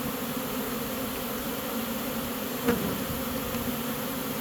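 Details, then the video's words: Honey bee swarm being caught as the bees march into a new home they have accepted: a dense, steady low hum with layered droning tones, and one brief sharp click near the middle. "Catching a Honey bee swarm!"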